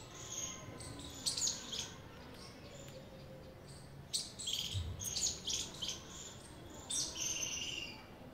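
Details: High-pitched squirrel chirping, thin sharp notes repeated in uneven clusters with brief gaps, faint low hum and hiss underneath.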